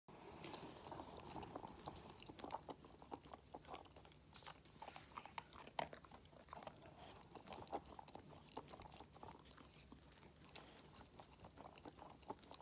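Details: Five-month-old Labrador Retriever puppy eating treats indoors: close, soft crunching and biting clicks in irregular bursts over a low steady background hum, no barking or voices.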